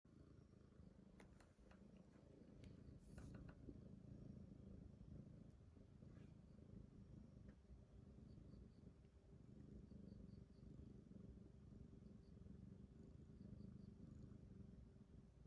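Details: Rescued kitten Titi purring: a steady low rumble held throughout, with a few faint clicks and rustles near the start.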